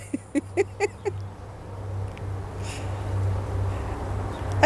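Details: Chihuahua giving a quick run of about five short, high yaps in the first second, then quiet over a steady low indoor hum, with one more sharp yap at the very end.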